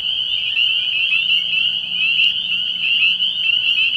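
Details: Early-year night chorus of spring peepers at a frog pond: a loud, piercing wall of high peeps with slight warbling pulses, continuous and even across the short stretch.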